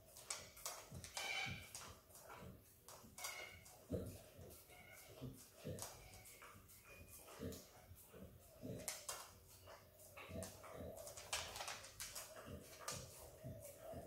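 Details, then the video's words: Izzy, a hungry Australian Kelpie x Border Collie pup, laps at peanut butter. Dense runs of sticky, clicking licks and mouth noises repeat steadily, some louder smacks standing out. "Dog licks & eats peanut butter ASMR!"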